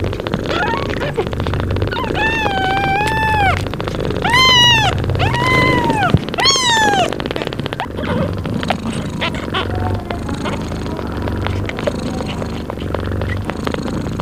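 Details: Mother cat breastfeeding her newborn kittens and purring loudly; a steady, low, rhythmic purr runs through, overlaid in the first half by several high, arched, drawn-out mewing calls, then purring continues alone.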